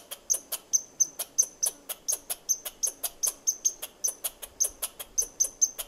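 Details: A squirrel chirps at the person recording, a steady run of short, sharp, high-pitched squeaks about four a second, with an even, insistent rhythm and no other clear sounds behind it.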